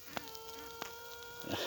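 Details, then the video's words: Honey bee queen in a requeening hive with several queen cells, evening, sounding a steady tone that holds for over a second before fading, with soft colony hum and a brief rustle at the end. "Ana arı ötüşü"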